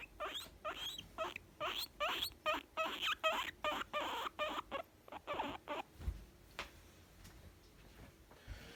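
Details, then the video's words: Happy young female guinea pig making contented sounds: a clear series of loud, evenly paced squeaky chirps for six seconds, then trailing off into quiet with a couple of soft clicks. "Cute young guinea pig making sound's of contentment"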